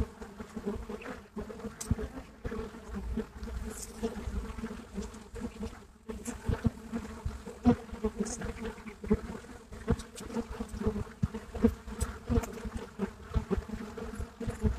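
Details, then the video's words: Buckfast honeybee colony filmed live at the hive entrance, Brittany, France; continuous low hum of many wings with tonal bands, frequent brief louder passes, and a short near-silent gap around six seconds. "Abeilles buckfast à l'entrée de la ruche en Bretagne."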